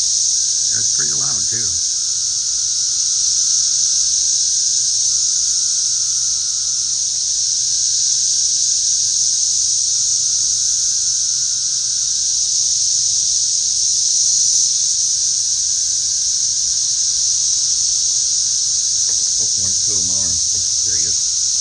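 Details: Masses of cicadas flying and resting around a yard, very loud: a continuous shrill buzzing drone holds steady for the full length, with a faint lower whine and brief speech at the beginning and end.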